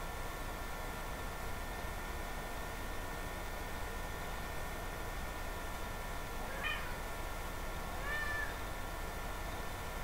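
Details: Female house cat trying to pry open a bathroom cabinet to get inside, recorded indoors on a webcam; two short faint meows late in the clip over a steady electrical hum and hiss.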